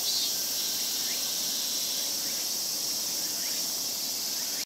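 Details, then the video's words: Dense summer cicada chorus in Japan, a semi-shigure of many insects: a uniform, high, hissing buzz held evenly throughout, slightly quieter and without clear pulses. "Big chorus of Japanese cicadas.日本の夏の蝉しぐれ"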